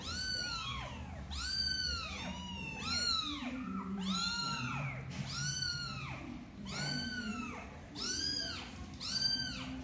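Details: Mother cat with her kitten, unwilling to let it play too long; a steady series of loud arching meows, roughly one each second, rising then falling in pitch, with faint background murmur.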